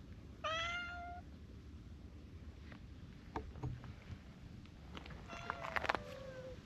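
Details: A brown tabby and a tortoiseshell cat quarrel while keeping a cautious distance. One loud, drawn-out wail opens the exchange, then scattered clicks and taps follow, and a second moaning call slides downward near the end.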